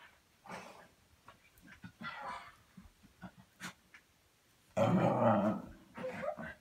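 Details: Pet dog making playful noises during a tame play session indoors; short rough growls and grumbles in separate bursts, with one louder, longer snarling growl near the end.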